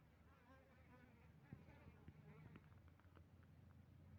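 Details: Colony of Asian honey bees (Apis cerana) kept with Apis mellifera drones in a trial at Tingkem Bersatu village, Bener Meriah, Aceh, on Saturday 6 November 2021. A steady low droning hum comes with scattered faint clicks and taps.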